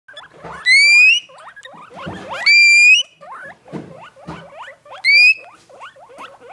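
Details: Two caged pet guinea pigs excitedly raving it up: loud, piercing, rising whistled wheeks at about one, two and a half and five seconds, separated by softer, rapid, upward-flicking chirps.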